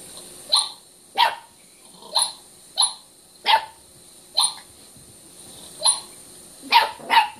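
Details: Five-month-old Chiweenie puppy indoors barking at a recording of himself on a television, sharp high yips repeated about every 0.6 to 1 second, nine in all, some doubled, with steady electronic hum behind.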